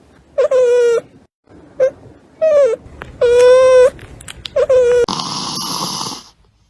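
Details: Newborn puppy, within its first four days after a caesarean birth, crying indoors: five short tonal whimpers, each opening with a brief falling slide then holding steady, with gaps between, ending in a burst of broad rustling noise.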